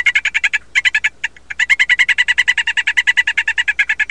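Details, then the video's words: Mint-form male golden poison frog trilling for females, producing long runs of quick, buzzy chirps, around seven per second, broken by a few short gaps, over a faint low hum. "Male mint teribilis calling"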